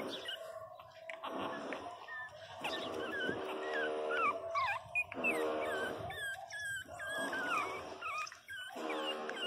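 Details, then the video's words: Twenty-two-day-old Pinscher pups wail in shrill, warbling cries that come in quick runs, over a humming harmonic background sound. "Filhotes de pinscher beby cute de 22 dias chorando alto"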